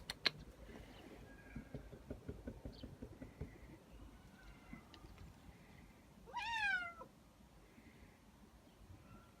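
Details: Nak G, a male pet cat born 19 May 2017, waiting for his owner to come home from work and play: a single arched, harmonic meow about six seconds in, over a faint background of soft rustling.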